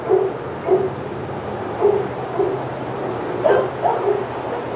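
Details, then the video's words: Senior dogs in the outside yard at Old Friends Senior Dog Sanctuary go wild as another dog, Titus, passes by: a run of short, yelping barks and yips, roughly eight bursts in under five seconds, over a low steady background hum. "Dogs Go Crazy as Titus Passes"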